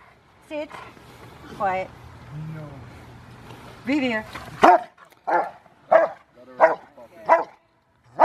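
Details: Bite-training session, January 2020, with River v Schwarzerwald, a five-year-old Rottweiler preparing for his ZTP: human voices at first, then a series of sharp, loud barks repeated nearly every second.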